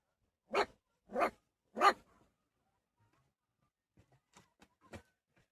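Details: Puppies in a village setting; three short, evenly spaced yelping barks about half a second apart, followed by quiet, faint clicks and a soft thump.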